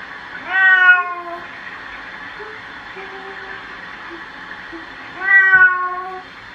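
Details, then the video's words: A cat being bathed gives two long, plaintive meows several seconds apart, each sliding downward, with quiet low murmurs and a constant hiss, possibly running water, between them. "고양이 목욕 시키기"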